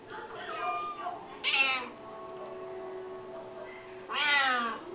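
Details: Five hungry kittens of a silver Bengal named Acacia feed while she lies on her back. Two bright, loud meows about three seconds apart, each rising then falling, with softer mewing and a quiet voice between.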